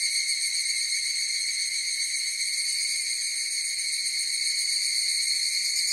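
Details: Short stretch of higurashi cicadas singing together, an unbroken shrill ringing with a slightly uneven rapid pulsing and steady volume.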